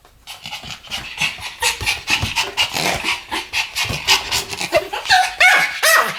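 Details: Pomeranian pair barking together in rapid, uneven bursts of high yaps, roughly two or three a second, with thin whining barks rising toward the close.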